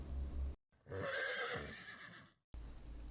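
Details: Horse shown among farm animals, giving a clear neigh: a rich, wavering whinny of about one and a half seconds, set between short bits of low background music.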